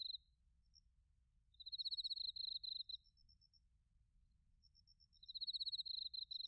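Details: Bell crickets and other crickets chirping in autumn, recorded in Narita, Chiba, Japan, with a TASCAM Portacapture X8: two high, pulsed trilling bursts about four seconds apart over a soft low rumble.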